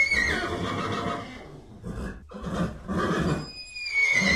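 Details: Horse giving a high, falling whinny tone at the start, with softer breathy, noisy sounds after. A thin high tone returns near the end.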